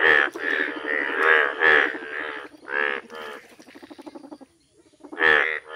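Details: Loud, rasping bleats from yellow Indian bullfrogs in a village, several croaks in quick succession, then a quieter stuttering stretch of rapid pulses and a brief lull before one more strong croak.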